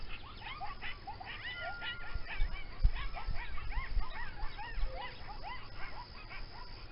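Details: Coyotes close to a home, rarely seen but often heard, chorus in wavering howls mixed with high, rapid yips and squeals.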